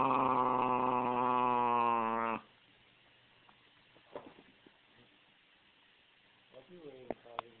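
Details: A 5½-year-old female Basenji, who doesn't get along with her 2½-year-old half brother, gives a strained, tonal growl for about two seconds, then the room falls mostly quiet.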